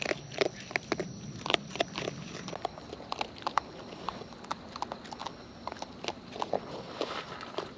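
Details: Wild raccoons munching food at close range, producing rapid wet crunching and smacking bites, sharp clicks repeating several times a second, then thinning out, over a quiet hissy background.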